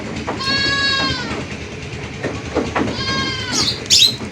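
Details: Goat. A goat bleats twice, each cry a wavering, nasal sound that holds steady for under a second. A faint bleat and some brief rustling noises follow at the end.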